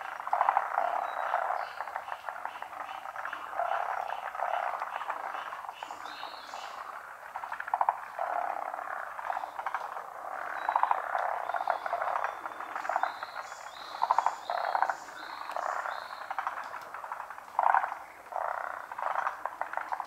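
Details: Large chorus of frogs calling from a pond in Japan, unseen callers; dense overlapping pulsed croaks and trills fill the whole stretch, with brief higher whistled notes above.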